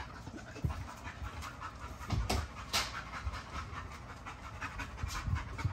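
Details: A young male Great Dane pants in quick breathy bursts, about two or three per second, with a few sharper louder huffs over a steady background hiss.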